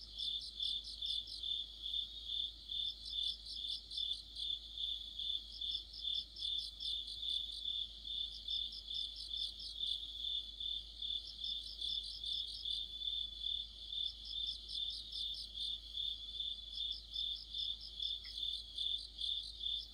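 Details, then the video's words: Crickets and other insects singing in an autumn chorus: a steady high trilling band with rhythmic pulsed bursts repeating about twice a second, layered callers overlapping throughout, faint low background hum. "가을의 한 복판 곤충들의 합창"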